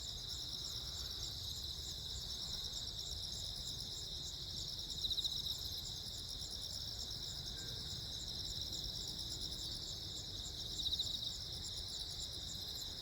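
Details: Steady high pulsed chirping from multiple crickets, recorded on Jeju Island, South Korea, on 15 August 2024 while lightning flashed. Two brief louder bursts stand out, with low rumbling noise underneath.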